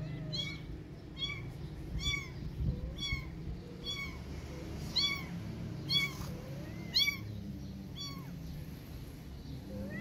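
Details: Orphan kitten meowing repeatedly with a protective cat responding: high, arched mews about twice per second, steady rhythm, over a low background hum.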